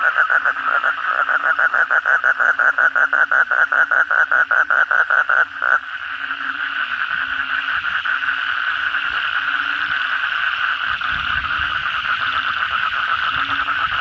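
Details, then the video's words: Kodok bangkong toads chorus at night after heavy rain. A fast run of buzzy pulses lasts about six seconds, then stops, leaving a continuous droning chorus of many callers with deeper croaks repeating beneath. "suara kodok bangkong pada gacor setelah hujan lebat malam hari"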